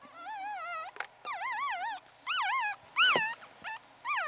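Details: Whimpering newborn Pomeranian puppy from a Pomeranian father and part-Pomeranian mother, only one of three to survive birth: about seven loud, quavering squeals in quick succession, some sliding sharply up then down, separated by short silences.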